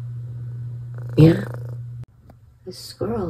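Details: Cat purring while focused on birds and a squirrel; steady low purr for about two seconds, broken by a short word from a woman, then quiet and more speech.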